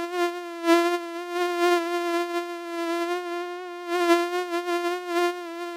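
A mosquito's thin, steady whine in flight, holding one high nasal pitch throughout.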